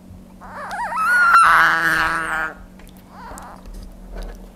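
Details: A Budgett's frog (Lepidobatrachus laevis), provoked by handling, gives a loud, wavering, harmonic scream like a cat or crying baby; the keeper suspects the call serves to scare off opponents.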